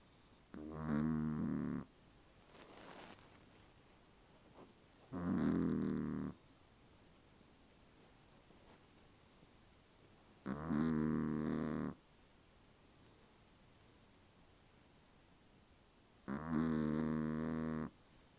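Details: Dog snoring in its sleep with four long, grating snores roughly every five seconds and quiet pauses between them.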